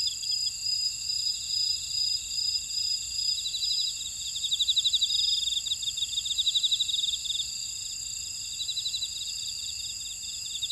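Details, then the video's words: Chorus of grass insects in an Ora-dong buckwheat field, Jeju City, South Korea. A constant high shimmering drone with bursts of fast pulsed trills that swell louder midway, then fade back. "제주 메밀밭의 풀벌레 소리"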